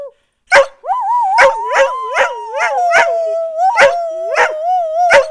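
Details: Rooing dogs Blue and Bettina answering their mother: a steady howl runs underneath a second voice that rises and falls in waves, with sharp barks and yips repeated throughout.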